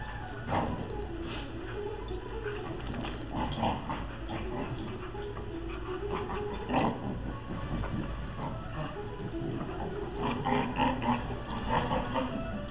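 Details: Two dogs, Libby and Wyett, playing; low, rough grunting and snorting growls run almost without pause, with louder bursts near the first, seventh and eleventh seconds over a dull, boomy background.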